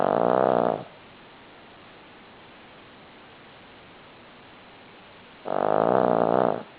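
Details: Buddy, a sleeping Cavalier King Charles Spaniel, snores. Two rough, buzzy snores about a second long are separated by nearly five seconds of quiet breathing-room hush.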